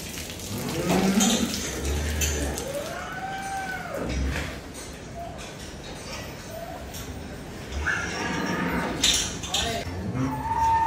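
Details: Cattle at Dhaka Agro in Bangladesh, gathered for Qurbani Eid 2024: a long arching moo around the middle of the clip, with another lowing call later, amid people talking and general crowd noise.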